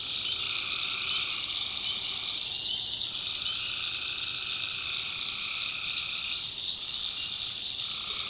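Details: Tree frogs at night in swampy North Carolina backwoods: an unbroken wall of high trilling calls, while a second lower layer of calling switches off and on in stretches of a few seconds.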